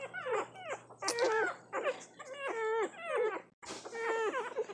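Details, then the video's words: Hungry one-week-old puppies nursing give a run of high, wavering whines and squeaks. Each cry bends down then up, about one every half second to second, with a short gap near the end. "Cute nursing puppies making sounds."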